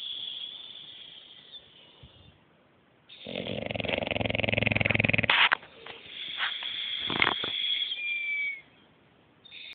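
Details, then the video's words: Sleeping deeply, the English Bulldog Bruce produces a strong, rough snore of about two seconds, followed by wheezy, whistling breaths and a few sharp snorts. "Bruce roncando"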